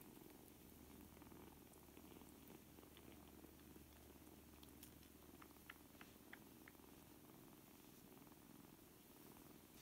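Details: Seven kittens, four weeks old, playing together indoors; a steady low rumbling purr runs throughout, with a faint constant hum and scattered small clicks and taps from the play.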